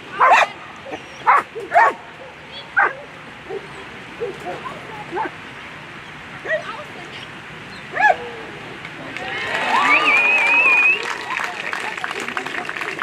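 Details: German Shepherd competing in a world championship agility final gives loud, separate barks at uneven intervals for several seconds. Barking then fades as crowd noise and cheering swell.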